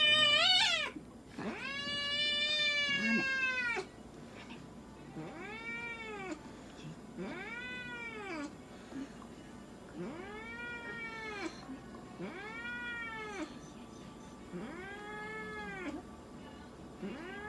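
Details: Munchkin cat Moka being examined and having blood drawn at a veterinary clinic in Nagoya, Japan; a long opening yowl followed by a string of shorter arched meows about every two seconds, with faint clinic background noise.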